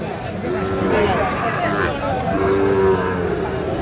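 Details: Sahiwal bull at a cattle market in Khulna, Bangladesh, bought by a farmer in late January; low steady harmonic moos around two and a half seconds in, over dense crowd chatter, bargaining voices and background music.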